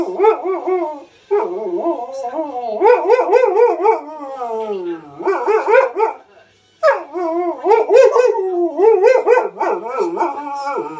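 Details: Malamute husky cross dog howling and 'talking' back to wolves howling on a Steve Backshaw TV programme; wavering, harmonic howls in repeated bursts with bending pitch, broken by a short silence midway.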